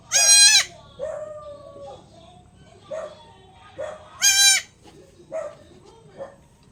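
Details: Newborn goat kid around the time of being given injections; two loud, high, strained bleats rich in harmonics, one at the start and another about four seconds later, with fainter short sounds and soft background noise between.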